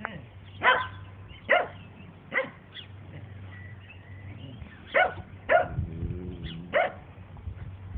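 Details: Dandie Dinmont Terrier mum Lady having fun with her children and other dogs; single high yapping barks spaced about a second apart, with a low rumbling sound and a droning hum beneath.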